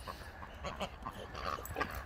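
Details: Boxer dogs at home getting a new toy, making short whiny, yelping vocalisations in quick bursts with a person talking nearby.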